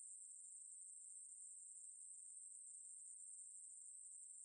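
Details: A continuous high-pitched buzzing drone from a Ruspolia katydid, National Institute of Biological Resources 2020, held at an even, unwavering level throughout with a faint fine flutter and no other sounds.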